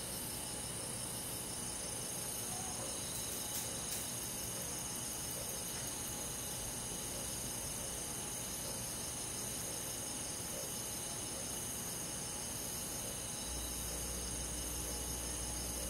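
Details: Crickets and other grass insects on a quiet summer night in the countryside forest: a dense, continuous shimmering chorus of steady high-pitched trills, layered voices holding unbroken tones throughout, with a soft low background hiss and no other animals.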